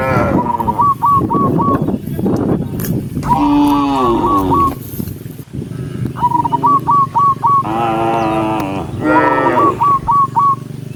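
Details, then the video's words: Dozens of tame cows moving as a herd along a forest path looking for green grass; several long, rich moos rise and fall, separated by bursts of short, hooked chirps repeated in rapid series. "cow sound cow Moo"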